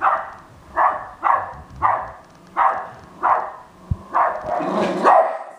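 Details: Westie barking at an R2 robot: around eight sharp barks, then a louder, drawn-out, strained burst of overlapping barks at the end, with a single knock partway through.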